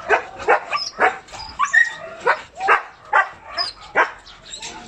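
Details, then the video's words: Corgi dogs at a kennel barking in a quick, fairly regular series, about nine sharp yaps in five seconds, with higher squeaky whines and yips between the barks. "CORGI DOGS"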